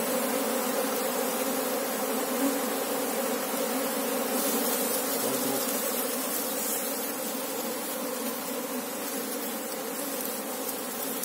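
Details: Humming mass of Asian honey bees, Apis cerana, during a hunt for the colony's queen: an even, layered wing-drone that stays strong, easing a little toward the end.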